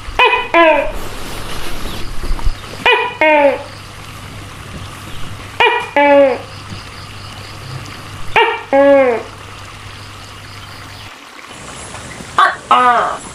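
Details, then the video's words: Giant tokay gecko calling in two-part bursts, each a pair of harsh, falling, harmonic notes. Five pairs arrive roughly every three seconds over a steady low electrical hum. "Suara Tokek Raksasa Seram"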